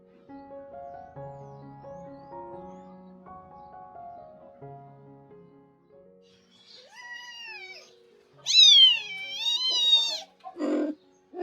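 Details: Domestic cat: a rescued mother cat caring for her kittens around the time of her spay surgery. Soft music plays at first, then a short rising tonal meow and a long, loud, wavering meow.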